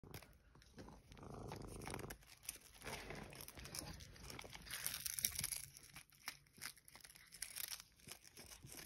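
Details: Cat eating smelt fish, with wet chewing, crunching and tearing noises in irregular bursts, quiet and close, with a faint low hum behind.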